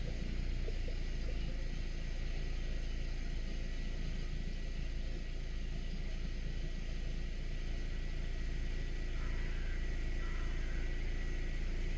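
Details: Steady low engine rumble of a vehicle fills the whole recording, with no animal voice standing out.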